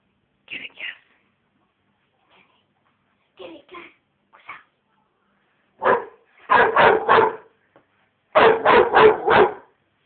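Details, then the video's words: Kassy, a 5½-month-old female American Bulldog puppy, barking at her teddy: a few soft yips, then bursts of three to four sharp, loud barks in quick succession, quiet pauses between groups. "Kassy Barkin At Her Teddy"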